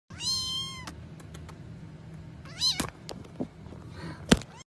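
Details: Domestic cats in a humorous compilation; a drawn-out, level meow with clear harmonics opens, then a shorter rising-falling meow near the three-second mark, with soft knocks and thumps in between.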